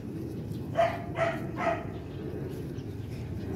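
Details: Four-month-old Rottweiler puppies from the litter of imported sire TEDI and dam Dakota, playing together at Gervi kennel; three short, bright yelping barks in quick succession, then a steady low rumble of background noise.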